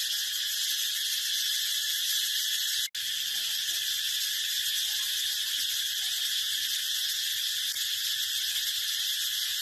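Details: Brown cicada producing a loud, sustained high buzz, interrupted by a single abrupt gap of silence about three seconds in, then continuing unchanged.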